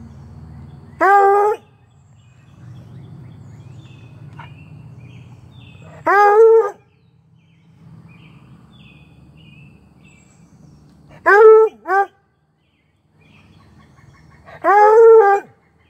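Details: A female Treeing Walker Coonhound puppy gives high, yelping barks every few seconds, protesting that a Whippet stole her toy; recorded May 28, 2022.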